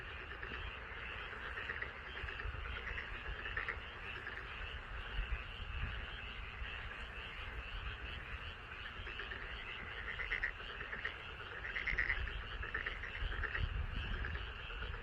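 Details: Chorus of frogs in a rice paddy beside a home, overlapping rapid rattling croaks forming a constant wall of sound, swelling slightly near the end over low background rumble.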